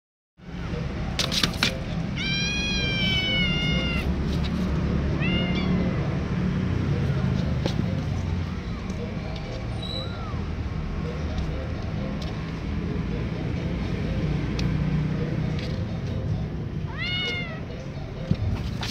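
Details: Domestic kittens, 27 days old, meowing: several high, wavering meows, the longest about a second, with a shorter one soon after and two more spaced well apart, over a loud steady low rumble and faint clicks.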